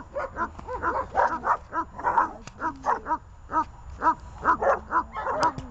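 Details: Dogs Glemmi, Fela and Rey, tied on a leash, bark repeatedly in short clipped yaps, clustered then spaced, with a few drawn-out whiny notes among them.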